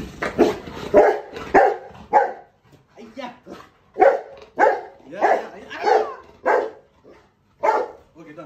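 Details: Rottweilers waiting at home for their owner's return from the grocery store give a burst of excited, uneven barks and yelps, greeting him.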